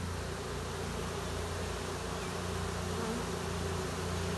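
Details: Honey bee swarm settling at a new hive location after capture with a wet vac; a steady, continuous low droning hum of many bees, even in loudness throughout, with a faint background hiss.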